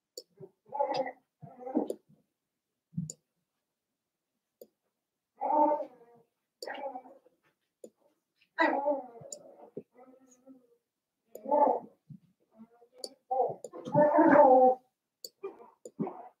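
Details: Seven-week-old Cavalier King Charles Spaniel puppies from Daisy's litter in a home puppy pen make short, breathy whimpers and yips. The bursts come in irregular clusters separated by quiet gaps, with faint clicks in a small indoor room.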